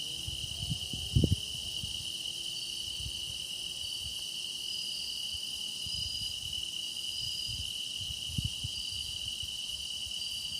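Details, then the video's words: Grass insects keep up a constant high trilling chorus in this meditation recording, with higher faint buzzes drifting in and out, and two short low knocking sounds in the background. "깊어가는 풀벌레 노랫소리"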